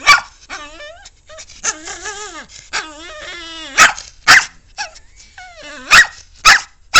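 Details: Talkative pet dog grumbling and whining in drawn-out, rising and falling tones with rich harmonics. Several abrupt, loud barks follow in the second half, spaced about half a second to a second apart.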